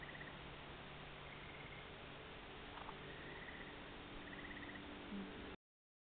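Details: Eastern gray treefrogs calling at sunset on June 12 at a yacht harbour on Drummond Island; one distant, faint pulsed trill of about half a second stands out over steady low hum and hiss, with a few other faint trills.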